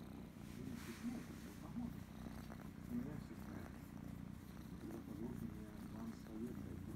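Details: Loud purring from Krysa, a young female kitten who loves being petted and scratched behind the ear; an even, low, throbbing drone fills the whole stretch, with quiet affectionate murmurs from a woman.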